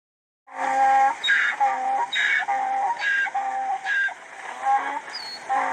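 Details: Donkey braying in a steady rhythm: a harsh, high wheezing intake alternates with a lower, tonal honking note. Roughly six hee-haw cycles follow one another at about one per second, with no other sounds present.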